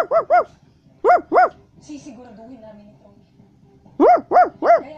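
A Basset Hound gives deep, resonant barks in quick pairs and a triplet.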